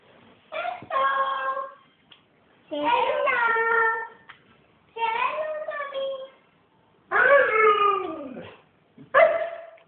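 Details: Yukon, a pet Siberian Husky, 'saying hello' indoors: five separate drawn-out, harmonic howl-like vocalizations, each bending downward in pitch with a whining, speech-like quality, spaced by short pauses.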